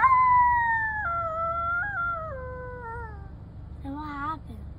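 A coyote howls in a long, clear tone that drops gradually in a series of steps over three seconds. After a pause comes a short, quavering cry, with faint low rumble underneath.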